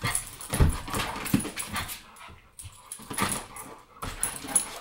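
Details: An American bulldog named Bulka plays with Ava, a Boston, indoors: low throaty growling grunts and heavy snorting breaths in short bursts, separated by brief quiet gaps, with rustling movement.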